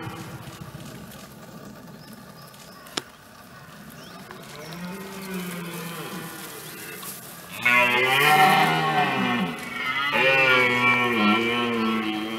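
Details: Rutting red deer stag, France, 2017: faint low moans build into a loud, rough, harmonic roar that wavers up and down. After a brief pause comes a second long bellow.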